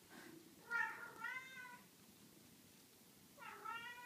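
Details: Scottish Fold kittens six days old, sleeping a lot; faint thin mews, two close together early on and a third after a quiet pause, each rising slightly then falling, in a quiet indoor room.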